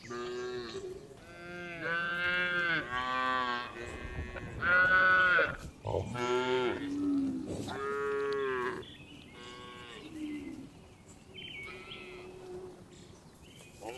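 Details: Several tame farm cows herded in the afternoon, heading back to the barn, giving a busy series of overlapping moos, some long and mellow, others shorter and higher, fading to quieter calls in the final seconds.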